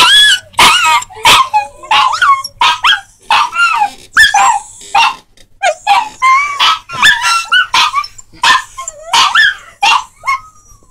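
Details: A dog gives a loud burst of howl-yips, short rising and falling yelping notes repeated irregularly in quick succession, apparently in response to a sound played to make dogs howl.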